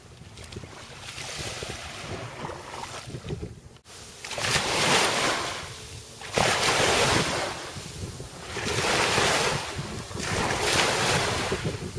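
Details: Rolling surf surges in loud waves about every four seconds, with wind buffeting the microphone throughout. No animal voice can be picked out.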